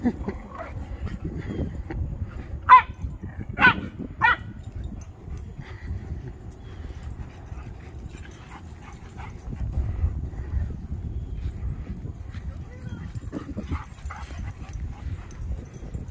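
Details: As an American Akita chases a Shiba Inu, a few sharp, loud dog barks come in a quick cluster, then quieter yips over low rumbling noise.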